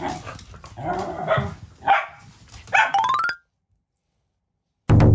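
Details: At home, Luka, a three-year-old blue merle Sheltie, tussles with her new bi-black puppy sister Anju. Harsh growly barks and a rising yip are followed by a sudden silence, then a loud burst at the end.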